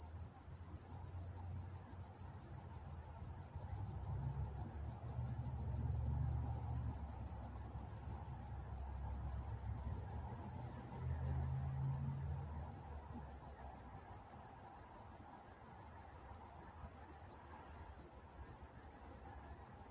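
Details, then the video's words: Night-time crickets in Walnut, California keep up an even, rapid chirping, roughly three pulses a second, high and shrill without a break, a faint low hum of distant background beneath. "Nature Sounds Night Time Crickets in Walnut, California"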